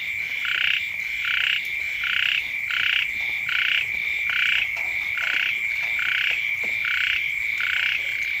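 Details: Frogs calling beside a house in rural surroundings when the rains first come: short croaking bursts repeated about one and a half times per second in a steady rhythm, over a continuous high ringing tone.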